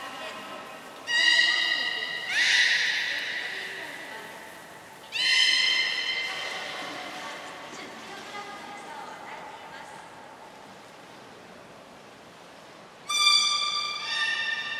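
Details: During a training session on 15 June 2022 at Port of Nagoya Public Aquarium, Japan, belugas Gray and Mirai give whinny-like harmonic calls and harsh buzzy bursts, with long echoing pauses between.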